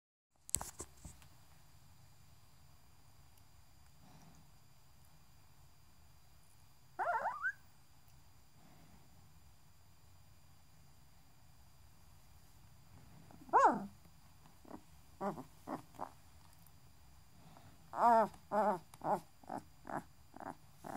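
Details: Six-day-old Great Dane puppies give thin, squeaky whimpers and short whines, scattered and then bunched together.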